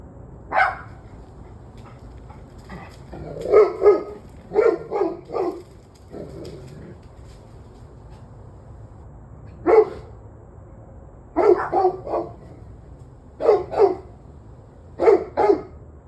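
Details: Evening recording from 21 November 2023 of a dog giving loud barks, often in doubled or tripled bursts, separated by short lulls, with faint clicks and a low hum in the background.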